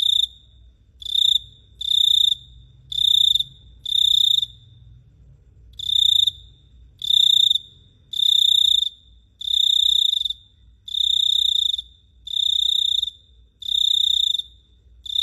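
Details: A cricket chirps at night in Phteah Prey in steady, high, ringing bursts, each lasting about half a second.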